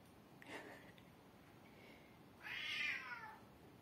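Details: Hungry female cat meowing as someone arrives to feed her: faint short sounds early on, then one clear drawn-out meow near the end that starts high and slides downward, in a quiet room.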